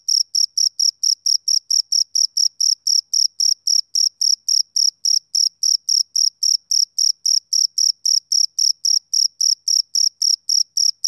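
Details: Steady chirping of a male cricket: bright, high-pitched pulses repeated almost four times a second without a break, each a short shrill burst, over a silent background.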